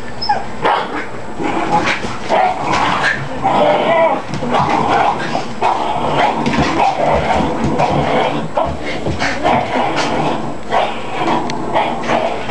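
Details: A few dogs at play that sounds like fighting, a small white dog among them; dense growling, yips and whimpers tumble over one another, with a person's voice now and then.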